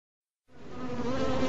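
A bee buzzes steadily, a low droning hum that swells in loudness after a brief silence.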